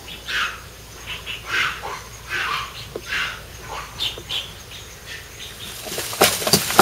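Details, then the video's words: Formosan rock macaques, a wild troop met along a nature park trail. A troop male displays to show strength after a squabble. Short rasping call bursts at irregular intervals, then loud rustling and thumping clatter at the end. "Formosan Rock Macaque Display タイワンザルのディスプレー"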